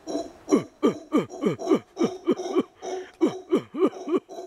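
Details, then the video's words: A kept congo (howler) monkey calling back and forth with a man: a rapid run of short, hoarse grunts, each sliding downward in pitch, about three per second with brief gaps, plus faint human laughter before. "Francisco talks to the monkey."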